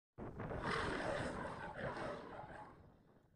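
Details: Lion giving one broad, harsh roar lasting about three seconds, strongest near its start and slowly fading, with some wind noise.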